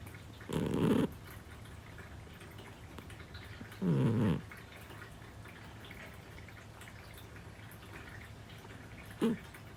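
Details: Parfe, a seven-year-old female Scottish Fold, snores while asleep at home among several cats; two short grating inhalations about three seconds apart, then a faint brief third snort near the end, with quiet room hiss between.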